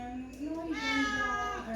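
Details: Peterbald cat indoors, giving a drawn-out tonal meow that rises slightly and then levels off, with a woman speaking softly in Polish around it.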